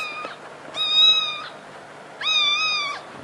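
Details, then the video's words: Kitten meowing in three clear, high, tonal cries; the second and third are each held about 0.7 seconds at an even pitch and drop slightly at the end, separated by pauses of about a second, with a faint low hum behind. "Funny cats sound"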